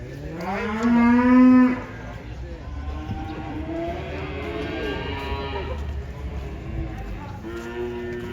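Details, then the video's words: Cow being unloaded from a truck after falling and lying down: a loud, strongly harmonic moo of about one second opens, then quieter drawn-out lowing, another moo starting near the end, men's voices in the background. "SAPI NYA KASIAN TURUN DARI TRUK"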